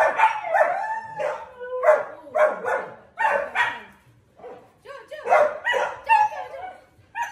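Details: Indoors in the morning, a Siberian Husky lets out bursts of wavering howl-barks in clusters, with brief quiet spells and human talk breaking in between.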